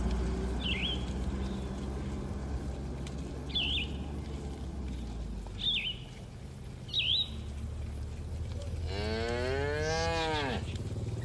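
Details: A herd of cattle grazing on green pasture. Near the end a single strong moo rises and falls, rich in harmonics. Before it, a bird repeats a short, high chirp four times over a low outdoor rumble.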